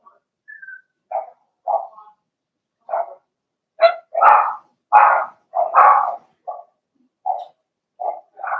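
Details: Blenheim Cavalier King Charles Spaniel puppies, part of a litter of six, in an indoor puppy pen during potty training; short high yappy barks and yips come in irregular bursts, some louder and overlapping.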